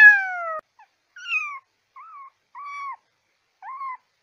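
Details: Kitten calls played to attract cats: an opening downward-sliding cry followed by four shorter, softer, arched mews with gaps between them. No other sounds.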